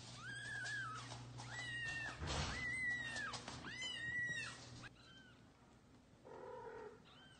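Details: Kittens meowing loudly as their mother cat carries them to a new place: a series of high, arching, drawn-out meows about a second apart, over a steady low hum and some rustling.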